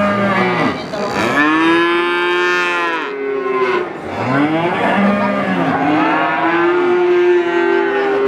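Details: Young calf bawling in loud, long harmonic moos, each swelling and sliding in pitch, with one brief gap near the middle and others answering close behind.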